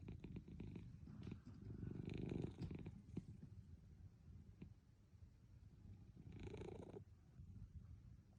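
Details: Sleeping Munchkin cat called Milk giving a low rolling purr while napping, with a long snoring breath early on and another about four seconds later, fading to a soft rumble between them.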